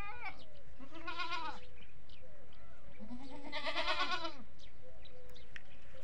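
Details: Goats on a goat farm, calling mostly around feeding time: two loud, wavering nasal bleats, each about a second long and about two seconds apart, with faint background chatter of other sounds.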